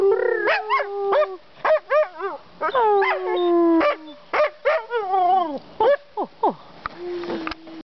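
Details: Siberian Husky kept as a family pet, serenading its owners with a broken series of short, sliding, yelping howls rising and falling in pitch, a few held slightly longer, ending in one steady, drawn-out tone.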